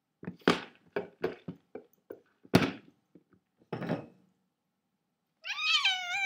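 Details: A cat gives one clear, wavering meow near the end, after a run of clattering knocks and thumps indoors, with a faint low hum underneath.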